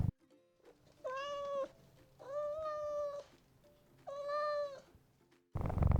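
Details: Domestic cat giving three drawn-out, clear meows, each steady and richly harmonic, about half a second to a second long and separated by short quiet pauses, with a burst of other noise at the very end.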